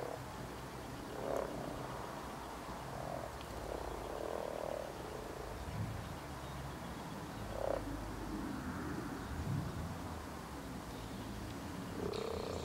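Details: Common frogs (Rana temporaria) in springtime among spawn give soft, low, purring croaks in short bursts every second or two.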